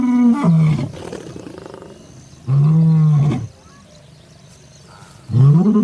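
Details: Lion roaring in a pride documentary: loud, very deep sustained moans, one long bellow in the middle flanked by shorter rising and falling roars, strong and close, with little background noise.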